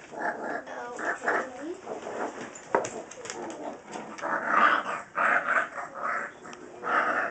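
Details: Pit Bull puppies Lilly and Colby growling as they play with a person indoors; rough, noisy growls come in uneven bursts, mixed with voices and someone crying.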